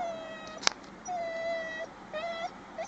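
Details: Eight-week-old Alaskan Malamute puppy crying: long, thin, steady whines with clear overtones, the longest drawn out for nearly a second, followed by shorter wavering whimpers, with a sharp click early on.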